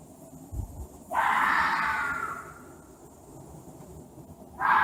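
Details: Screaming, angry fox giving one long hoarse, breathy cry lasting over a second that slowly trails off. A second harsh scream starts near the end, with a soft low thump before the first.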